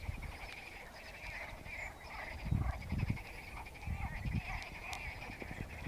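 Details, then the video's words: A chorus of frogs singing in a lake, continuous buzzy pulsed croaking at mid pitch from many callers, with low rumbling thumps around the middle and end. "Frogs singing in the lake"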